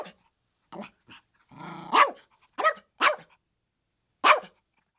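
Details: Chihuahua barking: several quick, shrill yaps with softer yips between them and a rough, growly lead-in before the loudest bark, then a pause and one final sharp bark.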